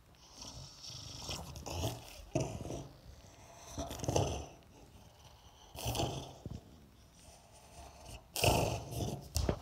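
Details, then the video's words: French Bulldog named Oleg, indoors, trying to take a ball during a play fight: rough snorting growls in bursts roughly every two seconds, with broadband scuffling noise between them. "Французский бульдог - борьба за мяч"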